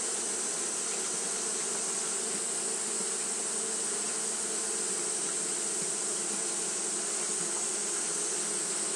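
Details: On a hot day, Japanese honey bees fan continuously, giving an unbroken low droning buzz layered under a thin, constant high-pitched whine.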